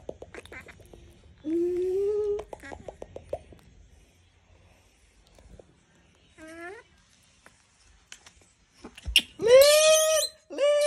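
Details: Disturbed monkey screaming: a rising squeal early on, scattered short clicks and cries, then loud, piercing, sustained screams near the end, with music in the background.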